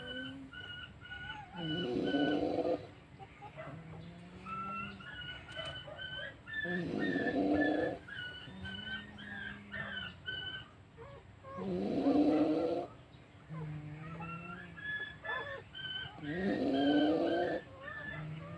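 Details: Sleeping puppy snoring: a broad, rasping breath about every five seconds, with thin, high whimpering tones drifting between the breaths over a faint steady hum.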